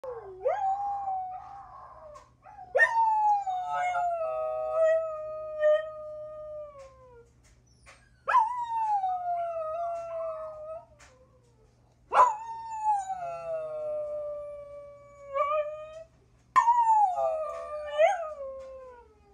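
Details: Ruby, a one-year-old mixed-breed dog (chihuahua, pit bull, German shepherd, Jack Russell and rat terrier), howling: five long wavering tonal howls, each starting with a sharp upward yelp then gliding slowly downward, separated by short silent pauses.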